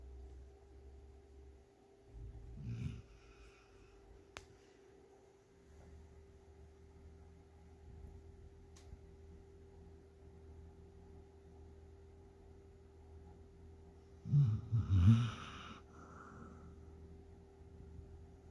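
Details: A dog asleep gives a brief low snore, then breathes quietly for many seconds before a louder, gurgling snort-snore near the end. The room is otherwise still.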